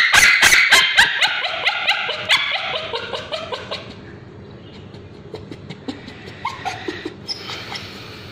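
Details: Male Bichon Frise, treated for scabies, screams as ointment goes on his tail: a rapid train of sharp, high, strained yelps, about four per second, fading into softer scattered whimpers.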